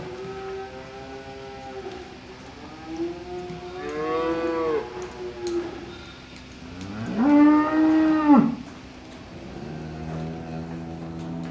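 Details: Several cows calling to one another in a mooing exchange: overlapping long, wavering moos, some bending up and down in pitch, with a loud drawn-out bellow near the middle and lower moos trailing at the end.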